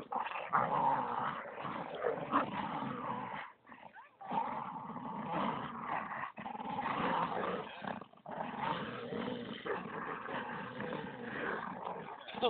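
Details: Bull terrier playing tug of war with a Staffordshire terrier, growling almost nonstop in rough, throaty bursts broken by short gaps of silence, steady and intense throughout.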